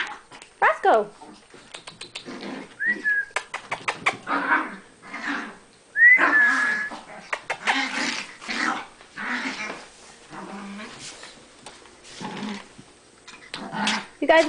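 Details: Playing Chihuahuas: irregular bursts of short barks and rough, growly yaps scattered through the recording, interleaved with a person calling to the dogs and talking about going outside for a walk.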